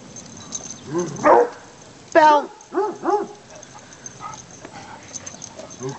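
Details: Treeing Walker Coonhound pups, three and a half months old, romp through fall leaves in Michigan on a sunny November afternoon. A wavering whine is followed by a sharp bark and two short rising yips, with leaf rustling underneath.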